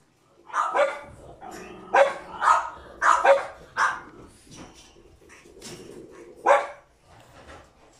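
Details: Male French Bulldog puppy, born 16 December 2019, up for adoption: a burst of short, high, yappy barks, about seven in the first four seconds, then a pause and one more sharp bark, with soft snuffling between.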